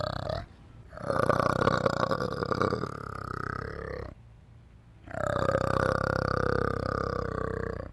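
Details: An orangutan makes drawn-out guttural grumbles, two rough, resonant bursts of about three seconds with a short pause between, heard in close, quiet surroundings.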